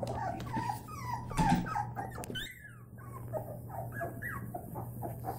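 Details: Several white Labrador Retriever puppies playing, with a dense chatter of short high whines, squeaks and yips over a steady low hum, a brief loud thump partway through.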